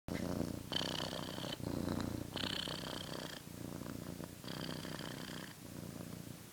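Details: Domestic cat purring indoors, a steady low rumbling throb with pulsing bursts of brighter breathy noise about once a second, broken by short quieter pauses.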